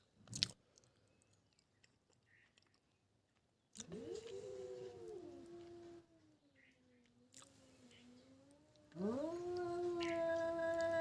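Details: Stray cat confronting a pet cat, drawn-out moaning yowls that rise, hold and dip, growing louder toward the end with a fresh rising wail.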